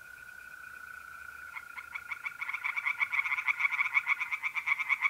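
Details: Tree frogs singing in a pond at night in mid-April, North-East Italy: a faint start that builds into loud, rapid, regular croaking pulses, over the steady, even trill of mole crickets.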